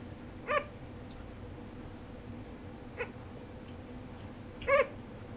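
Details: Crying from a deeply sleeping sugar glider: three short, squeaky, harmonic calls, the first and last strongest, spread over five seconds amid a soft background hum.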